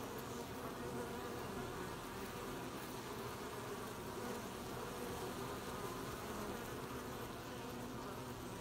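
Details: Many honey bees buzzing while gathering honey at a hive, recorded 20 July 2020; an unbroken, even drone of wingbeats fills the whole stretch, low and humming with a faint higher hiss.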